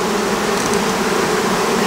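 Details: Western honey bees swarming over an open hive at an apiary during collection of ripe honey frames; continuous thick humming drone, even in loudness, with a brief faint higher whine near the middle.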